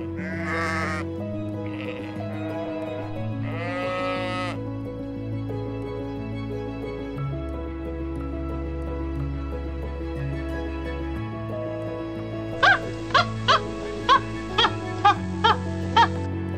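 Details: Sheep give three short, shaky bleats in the first five seconds. Gentle music continues, and a run of sharp clicks repeats about twice a second near the end.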